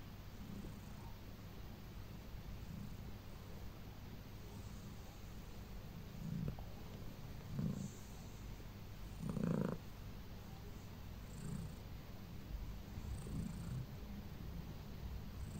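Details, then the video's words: During her nightly pre-bedtime massage a pet cat keeps up a quiet, continuous low purr, swelling in a few gentle rhythmic pulses midway, otherwise calm and even. "You Massage, I Enjoy, Purr Purr"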